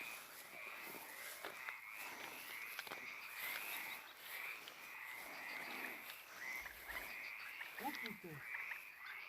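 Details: Frogs and toads call at night in a steady chorus of short, raspy, repeated notes, heard while walking through a cemetery after dark.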